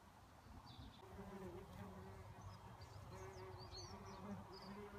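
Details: Red mason bee near a solitary bee nest box, steady low humming buzz coming and going in waves, with brief high chirps of small birds in the background.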